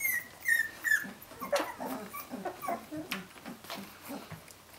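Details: Several 17-day-old puppies of Brenda's litter calling for her: a few thin high whistled squeals, then scattered short whimpers and grunts over a noisy indoor background.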